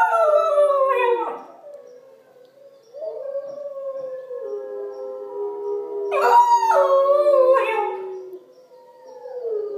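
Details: Pembroke Welsh Corgi puppy, female, joining in with recorded wolf howls: long drawn-out tonal howls sliding downward, a quiet gap, then overlapping wavering howls swelling and fading with breaks between.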